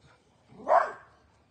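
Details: A playful Dachshund, or wiener dog, gives a single short, sharp bark that peaks quickly and fades, with a quiet room behind it.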